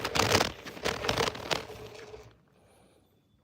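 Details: Brief crackling and scraping bursts for about two seconds, then fading to near silence.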